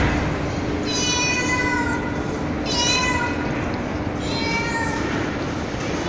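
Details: Real street cat and kittens meowing on a terrace at night after being fed; three clear, drawn-out meows with rich upper harmonics, about one and a half seconds each, over constant low hiss and hum.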